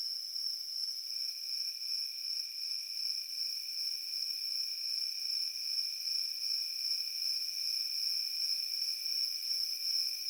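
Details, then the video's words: Field crickets sustain an unbroken, piercing high trill, its loudness gently pulsing, while a softer lower whine joins after the first second and holds steady; nothing else is audible. "Crickets in the field making Peaceful Sounds"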